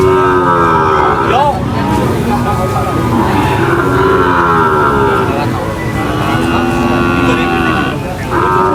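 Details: Cattle unloading from a truck at a market: sustained, overlapping moos from several animals, some rising then dropping, mixed with human voices and a busy mechanical hum.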